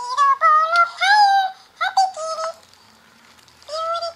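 A Siamese kitten gives a run of loud, nasal, drawn-out meows in quick succession.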